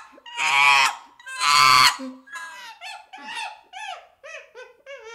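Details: Baby chimpanzee giving two loud, harsh screams, then a run of shorter whimpering calls that slide downward in pitch, each breaking off quickly.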